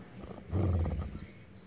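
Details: Temperamental pet Weimaraner gives a deep, rumbling growl lasting about half a second, set against steady background noise.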